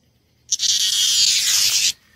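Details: Annual green dog-day cicada in a Maryland summer, giving a steady, high, hissing buzz that starts sharply, holds for about a second and a half, and cuts off abruptly against near silence.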